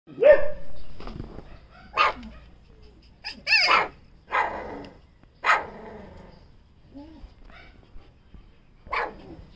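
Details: Puppy barking: about seven short, high, yappy barks at irregular gaps of one to two seconds, some rising into a squeaky whine, the later ones softer, in a quiet setting.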